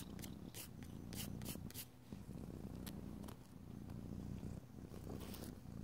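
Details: Domestic cat purring indoors while nails are being filed; a strong, steady low rumble carries through, with bursts of sharp scraping file strokes clustered at the start and end.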